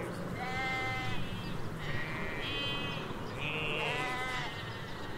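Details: Ewes and lambs in a Hampshire countryside field, recorded with stereo M5 microphones along a hedge: several wavering, harmonic-rich bleats follow one another, some higher-pitched and overlapping, over a steady low rumble.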